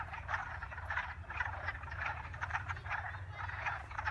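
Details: Frogs calling in a dense chorus: pulsed raspy croaks repeating about twice a second, overlapping voices, with a steady low rumble underneath.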